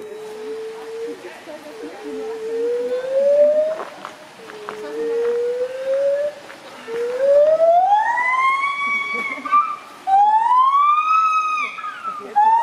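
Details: Gibbons call in a series of rising, sliding hoots that grow louder and higher, ending in loud, ringing whoops with rich overtones, swinging up and down about once or twice a second; voices murmur in the background.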